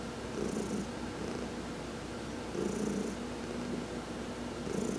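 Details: Domestic cat Heidi purrs contentedly under a massage while sunbathing, November 19, 2020: continuous low vibrating drone, intensifying roughly every two seconds with faint airy hiss on the louder pulses.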